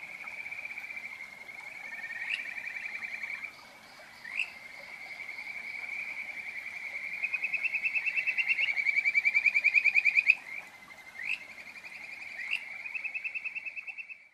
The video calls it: Kajika Frog カジカガエルの鳴き声 / field recording HIROYUKI SUGAWARA